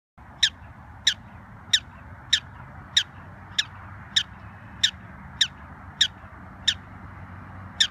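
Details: Black-tailed prairie dog (Cynomys ludovicianus) gives sharp, high chirps, repeated steadily about every half second.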